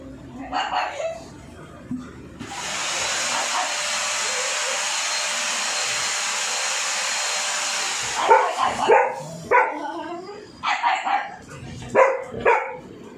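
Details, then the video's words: Dog scared of a drilling machine: a few barks, then a long steady roar of drilling for several seconds, followed by a rapid run of sharp, tonal barks and yelps once the drill stops. "dog Is Scared Of The Sound Of Drilling Machine"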